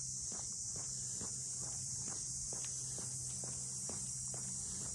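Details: High, even buzzing of cicadas fills the air in the Ine no Funaya boat-house townscape north of Kyoto, a constant shrill hiss under regular walking footsteps.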